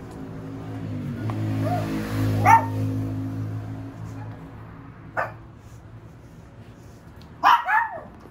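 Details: Female Shih Tzu puppy letting out three short, high yips spaced a few seconds apart, the last a quick double, over a steady low hum.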